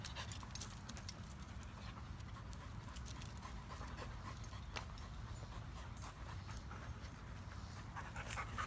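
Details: Panting from Luna, a five-month-old mid-content wolfdog pup, at a Nashville dog park while she is socialized around people and a husky. Rough, rapid breaths mix with scattered clicks and a person calling her name.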